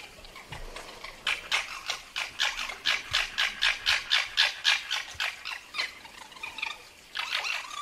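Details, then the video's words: Red fox giving a harsh, rattling chatter of rapid pulses, about four each second, that runs for several seconds, breaks off briefly, then starts again. "Fuchsgeräusche 🔈Wie klingt ein Fuchs?"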